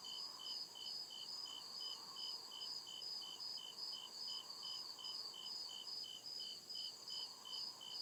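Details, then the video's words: Crickets chirping at night in deep forest woods: steady high-pitched pulsed trills repeating about two to three times per second, several overlapping callers at different pitches, with a faint lower hum in the background. "CRICKET CHIRPING SOUND"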